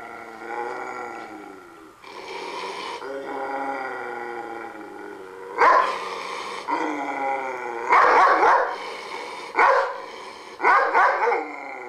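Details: German Shepherd guard dog on alert: sustained rumbling, harmonic growls broken by several loud, rough, explosive barks, several of them in quick succession near the end.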